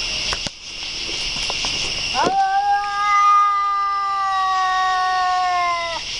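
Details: Cat letting out a single long, sustained yowl that swoops up sharply, then holds a steady, slightly falling wail for nearly four seconds, preceded by faint clicks and a constant high hiss.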